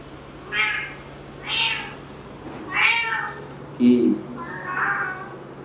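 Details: Kitten looking for its mother, meowing about once a second in a small room: drawn-out mews, one lower short note, over a steady hum, with a man talking nearby.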